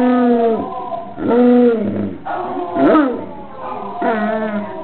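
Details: Basset hound indoors howling in response to other basset hounds' howls on a screen: repeated arched howls about a second long, each rising then falling, several in quick succession with sliding, bending tones.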